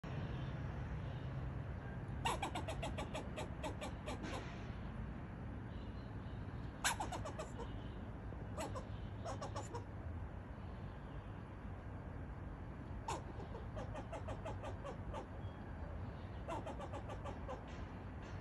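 A squirrel gives sharp, clicking barks in quick bursts over a low background rumble.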